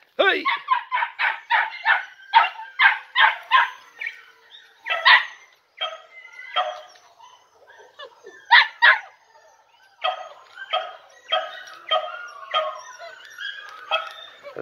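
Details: Four Podenco Andaluz puppies, three and a half months old, from one litter, playing in a riding arena on their first visit; shrill, high yapping barks repeated about three per second with brief pauses.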